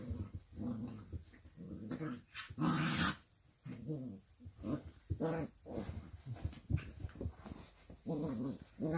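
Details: Dachshund puppies during play, giving a run of short, tonal growls and whiny grumbles, each a fraction of a second long and repeated unevenly, with scuffling between bursts.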